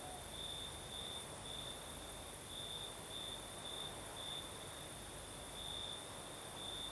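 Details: Crickets singing at night in the south of Crimea with a night breeze: a steady high chirping band broken into short pulses, repeated in uneven bursts over a constant hiss of wind and a dense insect chorus above.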